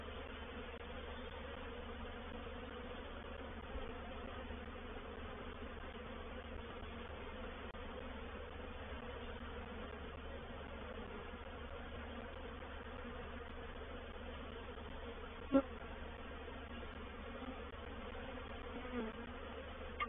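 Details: Reproductive swarm of honey bees moving into a bait hive at Painted Peacock Manor on 04/07/21. A steady, dense droning hum with layered low tones holds throughout, and a single sharp knock sounds near the end.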